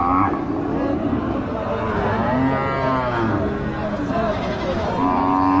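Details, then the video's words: Cows at a very popular village cattle market, giving long, low, drawn-out moos with rich harmonics, one near the start and another rising at the end, over steady crowd chatter and background voices. "Cow sounds at very popular village cattle market"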